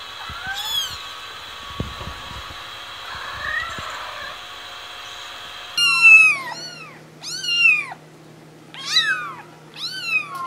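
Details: Cat or kitten in a compilation: a faint mew over room hum, then after a cut four loud, high, arching meows spaced about a second apart over a steady low hum.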